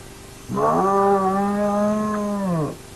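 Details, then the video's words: Hyena at an active den of the Naledi clan, camera-recorded: a single sustained, harmonic-rich moaning call about two seconds long, starting abruptly, holding a steady pitch, then dropping at the end; quiet background with a faint steady hum. "A Special Hyena Den Sighting on the Nomad Cam"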